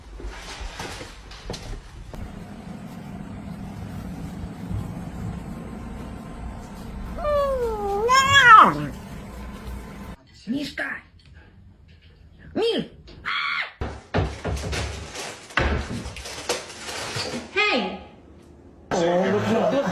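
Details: A domestic cat caught thieving food lets out a wavering, drawn-out yowl that climbs and drops midway through, surrounded by scolding human voices, clatter and bursts of speech.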